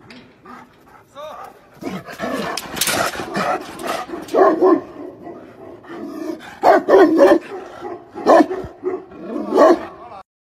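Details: Tibetan Mastiff barking in loud, irregular bursts of harsh harmonic barks, some single and some in quick doubles, with short pauses between volleys and possible voices mixed in.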